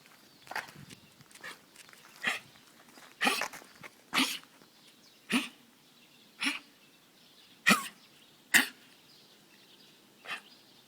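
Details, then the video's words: A dog coughs with a gagging, hacking sound and retches as if something is caught in its throat. About ten sharp, noisy bursts come unevenly over eleven seconds, with quiet breathing between them. "강아지 기침"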